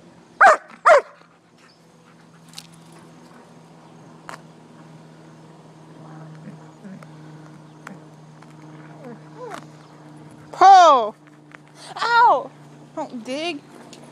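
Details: Poodle and shepherd dog playing out back: two sharp barks open, faint scattered yips follow, then loud arching yelps with rich harmonics near the end, rising and falling in pitch; a man talks intermittently throughout.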